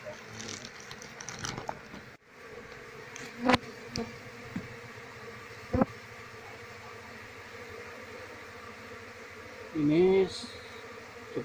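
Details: Asian honey bee (Apis cerana) colony, wild nest being worked with smoke so the queen can be found and the bees moved into a cultivation box; steady low droning hum with sharp knocks and clicks, and a brief voice near the end.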